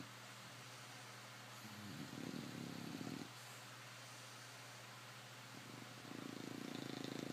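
An English Bulldog snores with low, rasping, buzzy rumbles that come in long breathy bursts.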